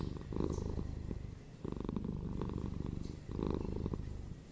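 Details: Purring pet cat at home, steady low rumble with pulsing texture, broken into three breath-length bursts separated by short quiet gaps, each burst swelling slightly then easing off.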